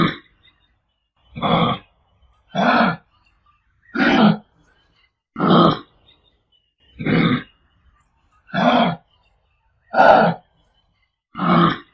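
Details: Kangaroo uttering short, rough, throaty grunts, eight of them spaced evenly about every one and a half seconds, each a brief coarse burst, with silence between.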